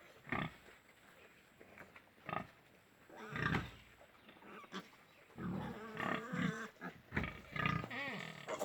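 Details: Golaghat farm pigs, with scattered low grunts early, then a busier stretch of overlapping grunts and a short tonal squeal near the end.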